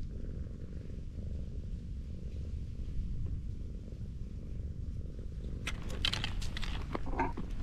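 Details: A sweet-natured tortoiseshell cat on a sloping road purrs under petting, a soft low rumble, joined near the end by brief rustling and handling noises.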